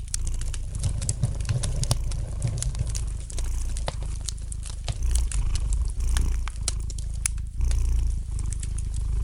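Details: Domestic cat gently purring, a steady low rumble running throughout, beside a fireplace whose light crackling fire adds sharp scattered pops and snaps across the recording.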